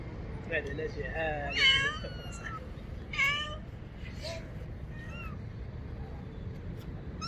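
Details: Fearful kitten hiding near a motorcycle meows for help, a string of uneven, wavering meows of varied length, with faint voices and constant low background noise.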